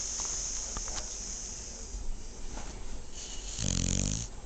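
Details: A sleeping female dog, mostly quiet breathing against a hissing background, then near the end a single deep, rattling snore lasting under a second.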